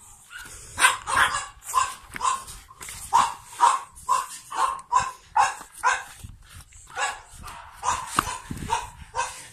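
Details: Young pugs born on 9 April 2017 yap in a steady run of short, bright barks, roughly two each second, over a soft background hiss.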